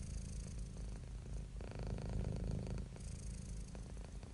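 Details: Happy, relaxed domestic cat purring: a steady low rumbling drone with fine rapid pulses, swelling louder through one long breath in the middle before easing back, recorded close and quiet.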